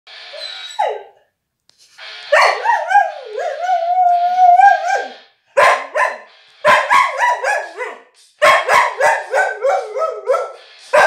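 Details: A dog howls along to an AC/DC song in drawn-out, wavering tones that rise and fall in pitch, broken into repeated bursts; the owner thinks it sings along well.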